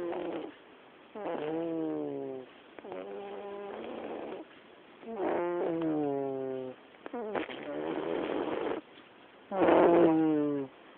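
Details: Domestic black cat sleeping in the living room, giving a run of nasal, buzzy snores that dip slightly in pitch as each breath trails off, about one per two seconds, the last one louder.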